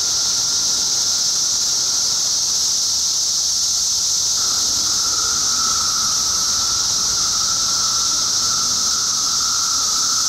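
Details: Periodical cicadas, hundreds crowding tree trunks and branches to feed and seek mates after emerging; dense, continuous high-pitched buzzing chorus holding steady throughout with a faint lower whine underneath.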